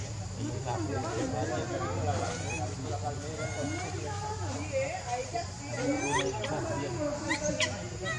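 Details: Leo, a baby monkey begging its mother for milk, gives a long stream of wavering, curved whines and short chirping squeals, dense and continuous, against a constant low droning background.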